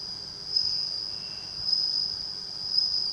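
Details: Bell cricket raised at home from a tiny nymph given by a neighbour in June, kept beside a house entrance in rural Japan near rice fields; a steady, high, ringing trill that pulses slightly louder roughly once a second throughout.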